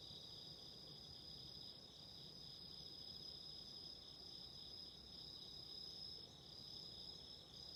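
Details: Autumn insects heard with a burning candle, keeping up an unbroken shrill, tonal ringing in stacked high bands, with a few faint ticks above and low crackly noise underneath.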